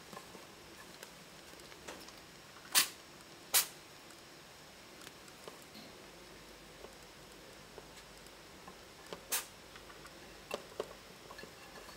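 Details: Faint indoor hiss broken by a few sharp clicks and taps, and no animal voice.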